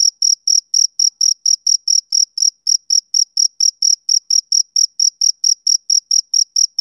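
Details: A male cricket keeps up rhythmic shrill chirps on a summer evening, close to four per second, with one brief gap midway and no background noise.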